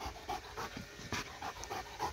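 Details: Excited dog at play with a laser pointer, pants turning irregular, with breathy bursts of varying length and a few sharper puffs mixed in.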